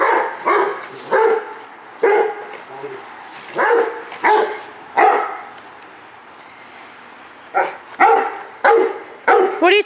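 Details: Excited Rottweiler Multi CH Jero Vom Haus Nagy going for his ball, giving short, husky woofs in uneven runs of two and three, with a gap midway; a woman's voice talks to him between barks.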